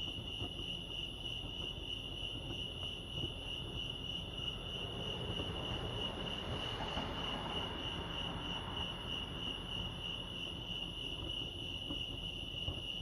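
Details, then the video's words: Lake Arrowhead crickets in California keep up a continuous high trill while a broad rushing swell, possibly a passing vehicle or train, rises and fades midway through. "Serenity sounds crickets chirping lake arrowhead"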